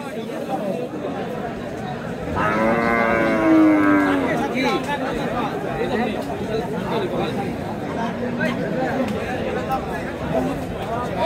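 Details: Cattle at the Hazratpur cattle market, where small cows are sold ahead of Qurbani 2025: one drawn-out, steady moo lasting nearly two seconds, set against constant crowd chatter and traders' voices at the busy market.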